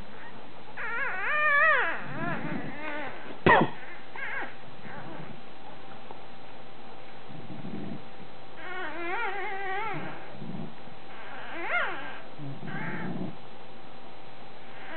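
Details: Two one-day-old male Bulldog pups, one charcoal bluish and one chocolate, nursing on their mother Molly after her c-section. They give high, wavering whines and squeaks in bursts, with one sharp knock and quiet gaps between.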